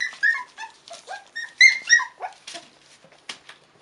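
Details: Whimpering Cairn Terrier puppies, five weeks old, from the 2015 Stromerhof B litter, produce clear high squeaks and short bent whines in quick succession, some sliding downward, in a quiet indoor setting.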